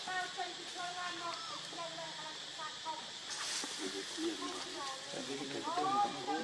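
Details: Baby monkey Lucie crying from hunger for milk, foaming at the mouth: thin, high whimpering cries with wavering tones, the last one bending sharply upward, over a constant loud hiss of insects.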